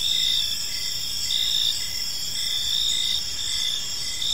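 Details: Crickets chirping in a peaceful park as evening unfolds; steady high pulsed trills overlap in a dense chorus, with a fainter lower chirp repeating roughly every second beneath a constant insect hum.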